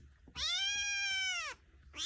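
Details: Noisy, ornery foster kitten complaining indoors: a sustained bright meow lasting over a second, level then dropping at the end, followed by the start of another sharp rising meow.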